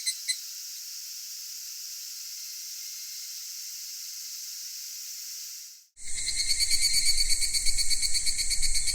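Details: Cicadas singing in a Japanese summer at Michinoku Folk Village and Kitakami Tenshochi, Kitakami: a steady, shrill high-pitched drone for six seconds, a sudden break, then a louder, rapidly pulsing shrill chorus with low rumbling underneath.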